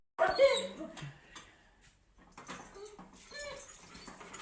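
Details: Pet dog lets out a short burst of whimpering yelps at the start, followed by quieter scattered whines mixed with indistinct human voices.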